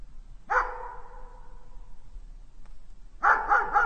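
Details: Domestic dog gives one loud bark that rings out and slowly dies away, then a tight cluster of three quick barks closes the short stretch.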